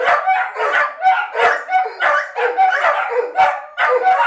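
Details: Dogs reacting with separation anxiety as their owner leaves on a short errand to the shop; a noisy, layered chorus of long howls punctuated by quick yips and barks, steady throughout.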